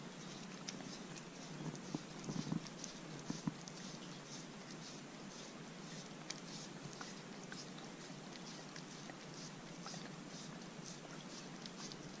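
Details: Corgi indoors eating a dog-safe homemade popsicle on a hot day, making soft, quick wet clicks and licks that patter steadily throughout, with a few slightly louder smacks early on in a quiet room.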